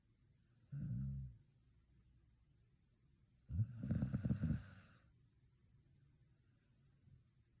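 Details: Shiba Inu dozing after a dog run day: a short low snore, then a longer rattling, fluttering snore with airy hiss, followed by softer exhaled breath.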